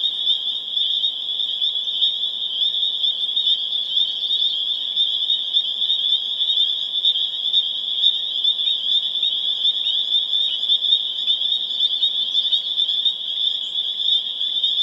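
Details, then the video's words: A dense spring peeper (Pseudacris crucifer) chorus building to a crescendo on April 27, 2011, in Harvard, Massachusetts: countless high, piercing peeps merging into one shrill, ringing wall of sound. "Spring Peeper Chorus Builds to a Crescendo (audio)"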